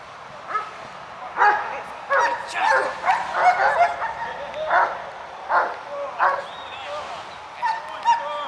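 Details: Black-saddled adult male German Shepherd in a final training session before an official breed selection, giving repeated loud barks roughly every half second to a second, with pauses and some human voice mixed in.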